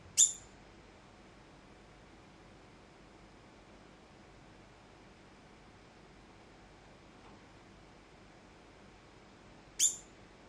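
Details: Degu giving alarm calls after suddenly starting to call, wary of something unknown; two short, sharp, high-pitched chirps, one at the start and one near the end, with about nine seconds of faint hiss between them.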